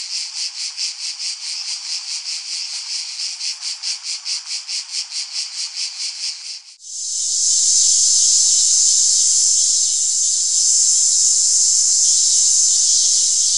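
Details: Cicada song starting as regular high buzzy pulses, about four per second, for close to seven seconds, then switching abruptly to a continuous piercing drone that lasts to the end.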